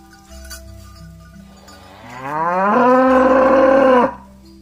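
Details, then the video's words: Tame cattle returning to the barn, one calling companions while walking in mud: quiet bell-like tones, then a moo that rises steadily and swells loud before stopping abruptly. "Suara sapi lembu Berjalan di lumpur memanggil kawan untuk pulang ke kandang - Bunyi sapi Lembu"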